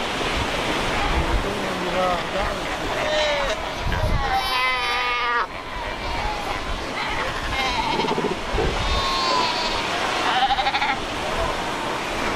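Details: Crowded Cape fur seal colony at Cape Cross along the Skeleton Coast, where rocks meet the ocean; overlapping sheep-like bleats and a long harmonic bawl rise above the surf, with a voice briefly heard.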